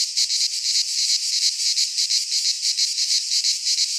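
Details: Cicadas singing in midsummer in a pine forest in Greece: a dense, high buzzing chorus that swells and dips in quick pulses, about three per second, with no other sounds.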